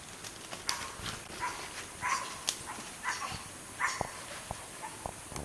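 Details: White-faced capuchins at La Selva Biological Station, 2013, give harsh barking calls in quick irregular bursts while chasing a coati from their tree, one smacking at it.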